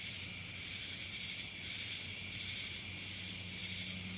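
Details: Cicada chorus recorded in Dallas, Georgia, a continuous shrill buzzing tone with slow throbbing surges and a soft low hum underneath.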